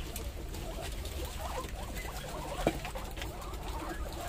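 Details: Pet guinea pigs, several of them hungry and waiting at the door to be fed vegetables, give faint curved squeaks in short repeated bursts over a steady low hum and background shuffling.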